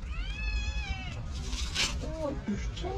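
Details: White tabby female stray cat, hungry and missing the people near her, gives one drawn-out meow that slowly slides downward, followed by a woman speaking Turkish and handling noises.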